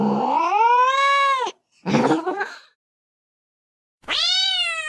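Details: Cat giving loud, drawn-out meows that rise then fall, separated by a rough, noisy cry and a pause before another bright meow starts.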